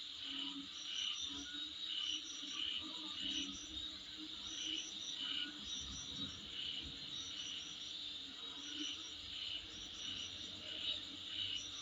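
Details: Insect chorus in front of a residence: an unbroken high shrill drone studded with fast chirping pulses about every second and a half, faint low croaking and rustling behind it.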